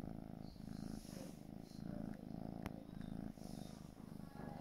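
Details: A four-month-old gray British Shorthair kitten purrs continuously, a deep, even rumble rising and falling with its breathing, broken once by a brief sharp click midway.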